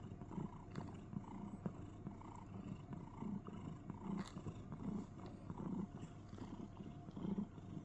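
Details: Cuddling cat in a box makes a cricket-sounding purr, low and throbbing, its louder pulses coming about every three quarters of a second, with faint clicks and rustles.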